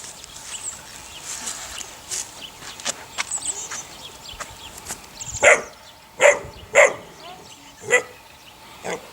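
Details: Puppies, eight weeks old, from Sunny's litter of six: a stretch of soft chatter and scuffling, then a run of five loud, high yelps in the last four seconds.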